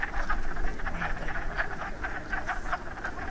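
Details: A group of wood frogs at a breeding pool in spring, after the first warm rain, gives short, hoarse, duck-like quacking clucks that overlap in a steady chatter while breeding.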